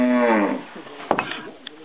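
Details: Cow at a palpation chute gate with wooden bearings: a short, low, droning moo fades out within the first second, followed by metallic clanks and knocks from the gate.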